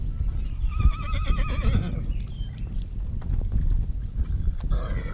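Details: Wild horses of the Namib Desert at Klein-Aus Vista, recorded for a 360 VR film: one horse gives a wavering, tremulous whinny lasting about a second and a half, over strong rumbling wind and scattered chirps of small birds.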